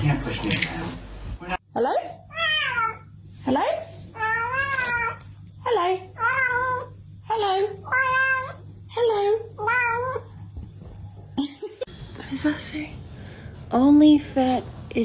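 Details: Domestic cat indoors, meowing again and again: a series of about nine drawn-out, wavering, rising-and-falling meows spaced roughly a second apart, with a brief human voice or noise at the start and a louder final meow.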